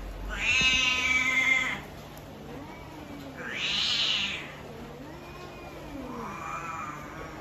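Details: A domestic cat with what is described as an ugly voice gives three drawn-out, harsh, strained meows, the first loudest and longest, the last softer and lower, spaced about two to three seconds apart over a steady background hum.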